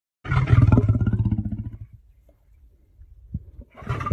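A lion gives a deep, throaty roar that breaks into rapid pulsing grunts and fades away.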